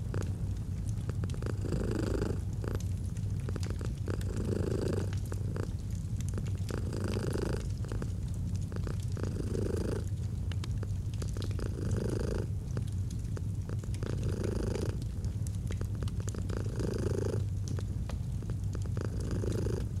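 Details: A purring domestic cat in a cozy autumn fireside scene: an unbroken low buzzing rumble with rhythmic breathing surges about every two and a half seconds, while the fire crackles and pops throughout.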